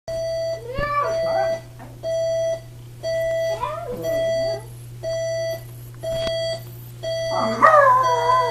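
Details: Chihuahua howling along with a beeping alarm clock: steady electronic beeps in regular pulses about every second, with the dog's wavering, rising and falling howls weaving between them and a long quavering howl at the end.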